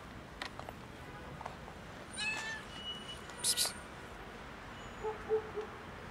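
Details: Tuxedo kitten meowing frantically, as if it were the end of the world: a few high, harmonic, wavering meows in the middle, then sharp bright squeaks and softer low chirps toward the end, over a quiet room hiss.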